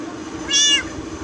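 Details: Kitten giving a single short, high meow of about a third of a second, slightly rising then falling, over a low steady background hum, with a person speaking briefly before and after.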